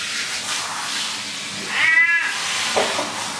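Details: ['House cat in the bathroom during a bath gives one short, high, falling meow partway through, surrounded by a steady rushing hiss like running water.']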